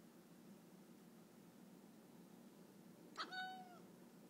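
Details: Pokeweed, a house cat, gives a single chirp at a bird beyond the window: a clipped opening burst sliding into a brief tonal note that falls slightly in pitch, heard against a quiet indoor background.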